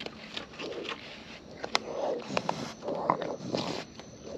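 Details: Close-up chewing from wild raccoons as they eat: soft crunches, scrapes and moist smacking sounds come in quick uneven bursts throughout.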